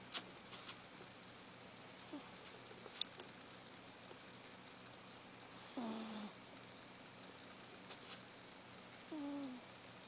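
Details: Cat snoring in its sleep, with breathy whistled tones that dip in pitch, about every three to four seconds, alongside faint taps and a low background hum.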